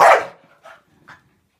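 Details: A Staffordshire bull terrier snapping at bubbles lets out one loud, rough bark followed by two faint, short huffs.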